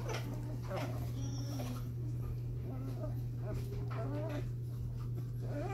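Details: Five-week-old Cardigan Welsh Corgi puppies at play make short wavering whimpers and squeaky yips throughout, with faint human speech and a steady low electrical hum underneath.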